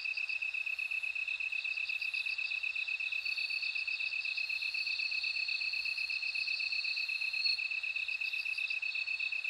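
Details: Bell cricket singing amid other insects. A high, even pulse beats steadily throughout while a clear, thin ringing tone rises and holds from the middle, with short higher trills scattered around it.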